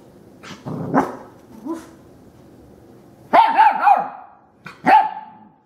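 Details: Young female puppy barking when she meets a vacuum cleaner for the first time: soft yips at first, then a burst of sharp, high, wavering barks and one final yelp.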